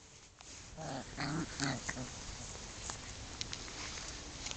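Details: A Chow Chow dog playing, making a few short grunting, growl-like vocal bursts in the first two seconds, then quieter thumps and rustling.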